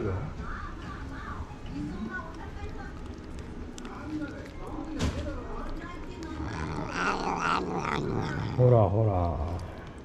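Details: Stray cats in a tense standoff in a Japanese park, the ferocious boss cat Karin facing Jiro. Near the end a low, harmonic growling yowl swells and wavers, while a man keeps calling Karin's name throughout.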